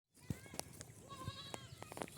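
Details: Farm goats kept for sale at Eid after Ramadan and fed only fresh grass; a single faint wavering bleat with stacked harmonics rises mid-clip, with clicks and handling noises around it.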